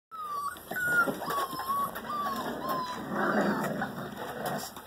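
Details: Five-week-old German Rottweiler puppies from a litter of seven males and three females give thin, high whimpering whines that rise and fall in short repeated notes.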